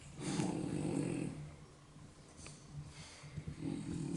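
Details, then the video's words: French Bulldogs Yaman and Enraku, deeply asleep indoors, snoring: a long rough low snore, a quiet pause, then another raspy snore begins near the end. "フレブル いびき"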